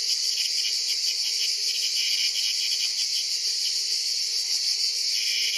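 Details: Ash cicada (Cicada orni) caught by a praying mantis (Mantis religiosa): a loud, unbroken high buzz with a faint rapid pulsing runs steadily through the clip, and no other clear sounds are heard.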